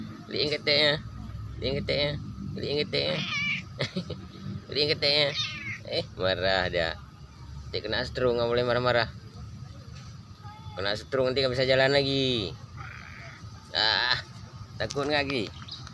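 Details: A chatty cat answers in a run of short meows and longer wavering calls, some in quick pairs, alternating with human speech over background music.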